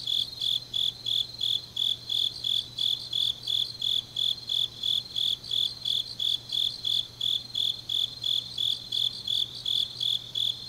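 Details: Autumn grass insects calling deep at night in Changnyeong, Korea; evenly spaced shrill pulses, roughly three per second, over a constant high background trill of other insects and a faint low hum.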